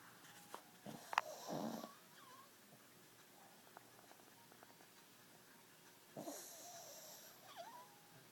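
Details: Rocky, a pug, sleeping and snoring away indoors: two soft, breathy snorting snores several seconds apart, with quiet stillness between them in a small room.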